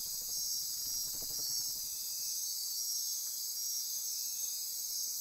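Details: Midnight rainforest insects on Costa Rica's Osa Peninsula near Corcovado National Park form a dense, shrill continuous chorus of buzzing and ratcheting, with a brief low fluttering pulse near the start.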